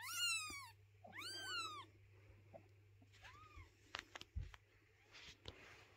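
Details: Domestic mother cat carrying her kittens, unwilling to let their house be cleaned; two loud arched meows open, then a softer third meow amid scattered knocks and rustling.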